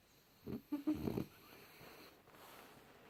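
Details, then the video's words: Junior, a French Bulldog sleeping deeply, recorded in January 2018: one rough, rattling snore lasting under a second, made of a few quick low pulses, then near silence with faint room hiss. "bouledogue français rigolos qui ronfle profondément"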